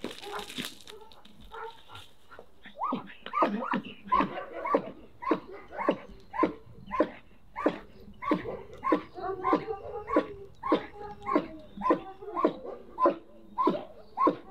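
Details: German Shepherd from a protection-dog kennel barking during bite training, sharp barks repeated at a steady pace of about two per second, with a handler praising the dog in the background.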